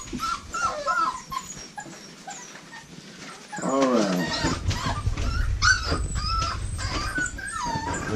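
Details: Litter of American Bully puppies bred at a kennel, several pups whining in brief high squeaks and rising-falling whimpers, irregular and overlapping, with a man's brief voice partway through and steady low rumbling handling noise.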